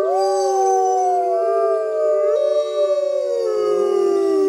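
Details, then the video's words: Several grey wolves howl together in the wild, recorded at full moon; long steady overlapping tones that waver and slide, one voice dipping lower toward the end. "Wolves Howling Sounds in Wild Life | Wolf Howling"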